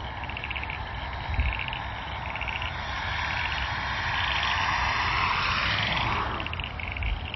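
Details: Frogs calling from bushes near the airport outside Launceston, Tasmania, in June, give short pulsed croaking bursts repeated about once a second, while the roar of an airplane swells and fades across the middle of the recording.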